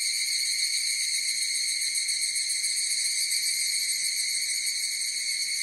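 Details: Higurashi cicadas in chorus produce a constant, high, metallic ringing of stacked tones with rapid faint pulsation, evenly loud from start to finish, free of other sounds.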